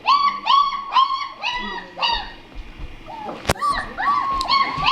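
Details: German Shepherd puppies, three and a half weeks old, born December 27 2013, whimpering and crying in a steady run of high, arched, harmonic-rich squeals, several per second, with a brief sharp click midway.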